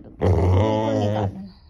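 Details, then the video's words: Rottweiler growling while its owner controls its aggression and tells it not to bite: one steady, low, rumbling growl of about a second, rich in deep tones, with a woman's voice just before and after. "Controlling Aggression of Rottweiler | Rottweiler Growling"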